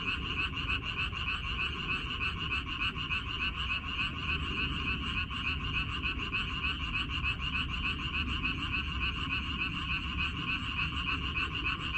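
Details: A crowd of frogs croaking together in a water dropwort (minari) field, 14 May 2021. Fast, rattling pulses run unbroken and even, many voices blending into a constant, throbbing chorus.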